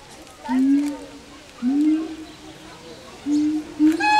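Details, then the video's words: A pair of siamangs sing a duet, giving low, rising hoots repeated in a steady series. "Singing siamangs"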